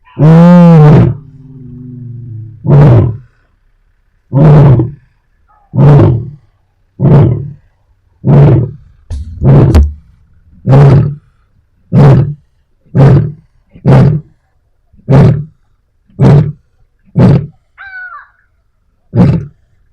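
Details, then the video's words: Lioness in Africa calling her pride: one long, deep roar, then about thirteen low, grunting roars that come every one to two seconds and slowly fade, in a quiet setting. "Lion Roar Sound Effect Loud and Deep"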